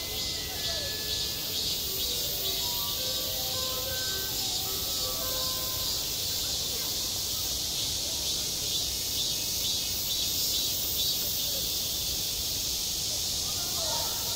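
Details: Cicadas buzzing steadily over a school playground in summer, with a school bell chiming a descending melody in the first six seconds beneath the shrill, continuous drone.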